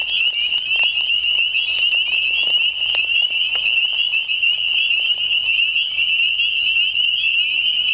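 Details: Spring peepers calling unseen in spring, many frogs in a dense chorus forming a continuous high shrill trill of overlapping peeps, steady throughout with no gaps.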